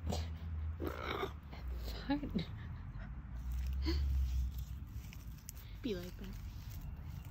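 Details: A caracal-serval hybrid cat that is not in the mood makes low, rumbling growls broken by brief harsh hisses and short yowls; a person speaks softly in a small indoor room.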